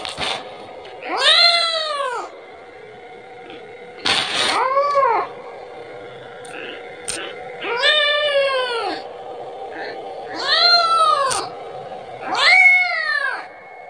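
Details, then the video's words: Young kitten repeatedly calling its mother, begging for milk; five loud arching meows spaced about every three seconds, each rising then falling, over a constant low electrical hum. "suara anak kucing memanggil- manggil ibunya 🤣🤣🤣minta susu"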